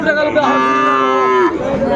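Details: Sahiwal bull calf at a Dhaka cattle market, Bangladesh, 3 February 2025, gives one loud, sustained moo lasting about a second and a half, harmonic-rich and steady before dropping off, with faint market murmur behind.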